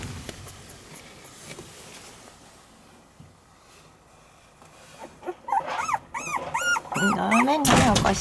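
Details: White Shiba Inu female puppy born December 26: after a quiet stretch of handling noise, a run of short arched whines, each rising then falling, comes about twice a second, ending with clattering.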